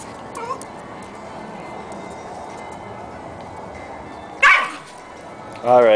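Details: A Jack Russell and a Corgi puppy at play; two sharp, loud barks, one midway and one at the very end, over a steady background hiss with a faint yip early on.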